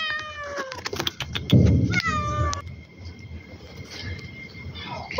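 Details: Domestic cat greeting after a long separation, with a couple of drawn-out falling meows at the start, then a loud thump and rustling, and a faint high tone continuing under quieter background noise.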